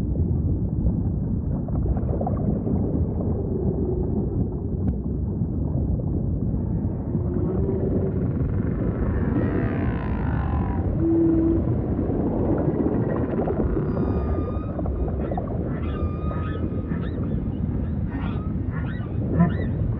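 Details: Underwater humpback whale song: a mid-pitched moan, then a series of short, high, whistled tonal units repeating in the final seconds, set against steady deep rumbling ocean noise.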